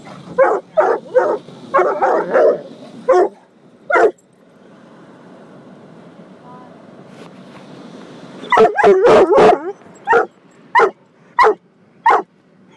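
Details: Barking bursts from Gunner, a coonhound mix defending his family inside a car wash: a quick series of sharp barks, a lull filled with washing machinery hiss, then a fresh volley of loud, evenly spaced barks.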